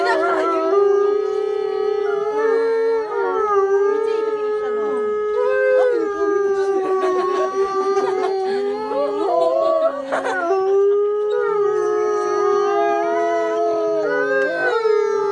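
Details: Captive wolves at Asahiyama Zoo, Japan, in a chorus howl: long drawn-out tonal notes from several animals overlapping, a steady droning voice beneath higher wavering ones that rise and dip throughout.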